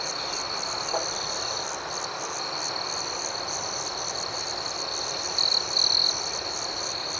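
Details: Crickets at night: a steady high-pitched insect chorus fills the background, with one close, brief pulsed trill near the end.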